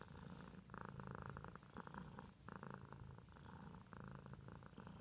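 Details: Pet cat purring steadily indoors, a low rumbling pulse in rhythmic rounds about a second long, each with a brief pause for breath between them, close and continuous throughout.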